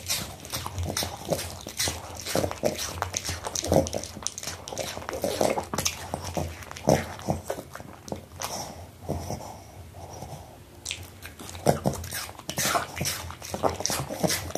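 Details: Pomeranian eating apple, captured close for ASMR: bursts of crisp crunches and chomping in quick clusters, a quieter gap near the tenth second, then renewed biting; faint low hum throughout.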